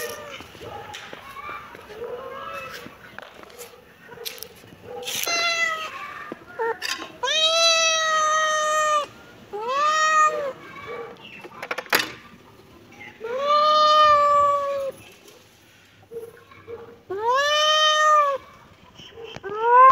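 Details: Kitten meowing: several loud, drawn-out meows, each rising and then falling, spaced a few seconds apart, between softer short mews and faint clicks and knocks.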